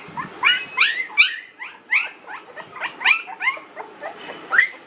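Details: Young puppies, 19 days old, crying in quick succession, roughly three high, upward-swooping yelps per second, overlapping whines from more than one pup.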